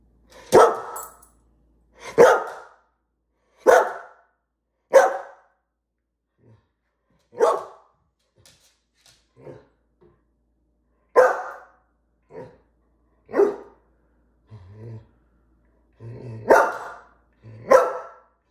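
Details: Female greyhound barking because she wants her dinner: about nine loud, sharp barks spaced irregularly one to four seconds apart, with a few softer short yelps and grunts between them in a quiet indoor setting.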